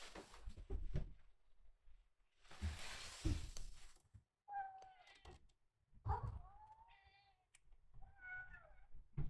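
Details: Rescued red tabby and white male kitten Miel, day 27 after rescue, in the kitten room: high mews rising then falling, with a few close together, among thumps and a burst of rough broadband noise.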